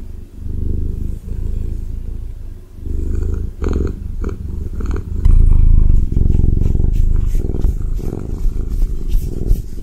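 A Ragdoll cat purrs in a deep, steady, rumbling drone, with soft rustling in the last seconds.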